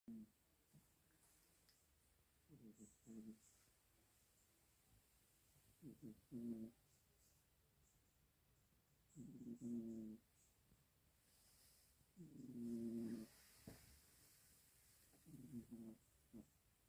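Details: Three-year-old orange tabby male cat sleeping and snoring deeply like an old man, rasping low breaths recurring about every three seconds in six swelling bursts, with quiet room hush between.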